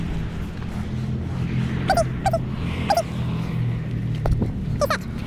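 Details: Quincy, a seven-year-old Old English Sheepdog, during a scent detection search of twelve hides in ten minutes: four short, high, sharp yelps with faint harmonics, spread over five seconds, above a steady low rumbling background.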